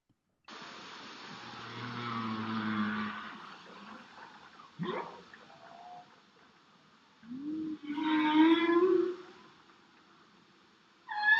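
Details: A singing humpback whale gives low moans and rising tonal units, with a fainter singing bowhead whale in the background.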